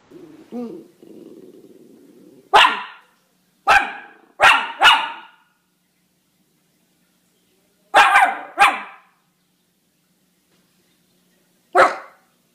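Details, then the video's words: Miniature Schnauzer barking: sharp, broadband single barks, some in quick pairs, spaced irregularly over several seconds, opening with a low growl-like rumble and a soft whine, quiet between barks. "Miniature Schnauzer Barking Sounds"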